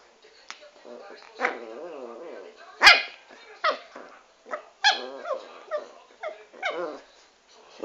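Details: Chanel, a dwarf Pomeranian, gives a series of short, sharp yapping barks, several in quick bursts with pauses between, while a woman talks to her in Italian.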